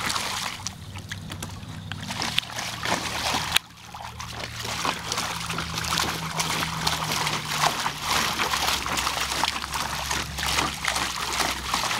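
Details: Running water from a garden hose splashes and trickles steadily into a pool, broken by one sharp knock near the middle, with no barking heard.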